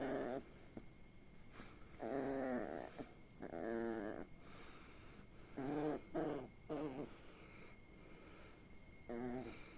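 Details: Female puppy teased and tickled with blown kisses on her tummy indoors, making repeated warbling growl-whines in bursts about a second long, separated by pauses of a second or two, in a quiet small room.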